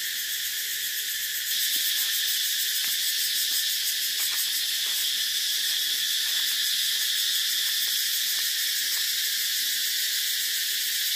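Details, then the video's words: Cicada chorus: a continuous shrill buzz that thickens and gains a fast pulsing texture after the first second and a half, then holds level to the end. "Tiếng Ve Sầu kêu hay nhất"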